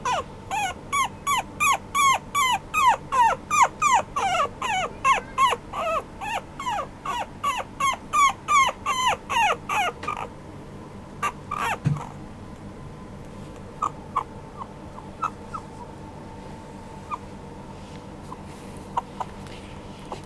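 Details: Apricot male Toy Poodle puppy giving rapid high whimpering yelps, each a quick rising-then-falling squeal, about three per second for ten seconds, then only scattered short squeaks over a steady low hum.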